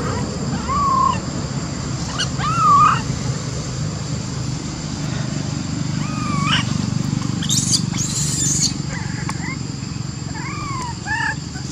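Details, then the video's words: Monkey that cannot use her legs calls for help to get up a tree, with other little baby monkeys nearby; short rising-then-falling whistled coos, about six spread over twelve seconds, over a steady low rumble and a brief high hiss. "Lori Could Not Use Her Legs, Calling Amari To Help Her Up To Tree"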